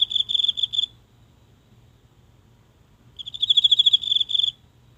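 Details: At night in a small garden, one insect calls from the grass, captured near by phone; a short high pulsed burst, two seconds of near silence, then a longer ringing bout of rapid chirps.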